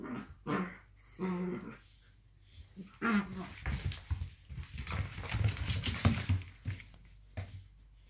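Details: Two blue roan working cocker spaniels play fighting indoors make deep, rumbling growls mixed with short, strained whining moans that rise and fall. Scuffling noise runs throughout.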